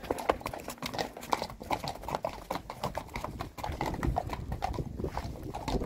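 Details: Hoofbeats of Friesian horses, six mares together. Steady, rapid clip-clop strikes overlap continuously as the animals move, each thud sharp and woody, with faint speech underneath.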